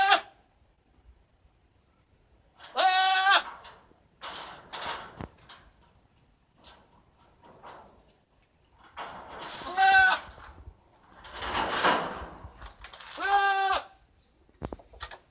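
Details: Goat kept at a school, bleating several times amid rustling and handling noises; a few clear harmonic bleats stand out between broader noisy bursts.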